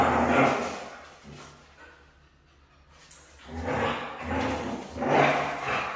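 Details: Noisy, broad vocal outbursts from a Siberian husky said to be hard to train. One bout opens the recording, then after a lull of about two seconds another rises and swells toward the end.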